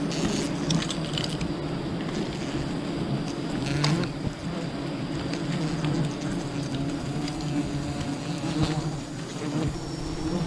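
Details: Sustained humming of a wild bee colony during a honey harvest, a thick, even drone of several low bands with crackling handling noises and brief sharp taps.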